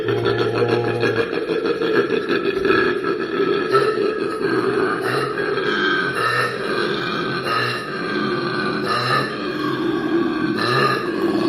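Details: Koala making a deep, scary-sounding noise when happy: a continuous rasping, snoring bellow with throbbing low pulses and belch-like grunts, loud and sustained for the whole stretch, heard indoors.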